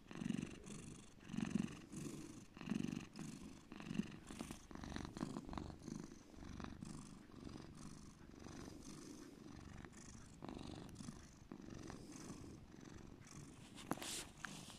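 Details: Pet cat named Bear purring deeply, a low continuous rumble with soft pulsing throb, some louder bursts early on and faint rustling in a small indoor space.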